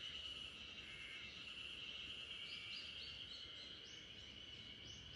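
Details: Unbroken high buzz of spring cicadas singing together in a backyard, lulling a Great Pyrenees to sleep, overlaid by a run of quick upward-sweeping bird notes in the latter half.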